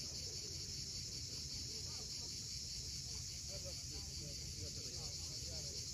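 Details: Sunset chorus of cicadas on a steep Crimean seashore at Cape Fiolent, an unbroken shrill buzzing hiss layered above rolling waves, with soft twittering birds in the middle range.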